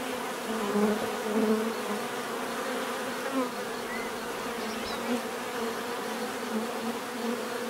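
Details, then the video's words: Natural buzzing of bees: a continuous massed hum with individual insects swelling louder as they pass close, brief rises around the first and second seconds, over a steady hissing wash. "bees therapy relaxing natural buzzing sound"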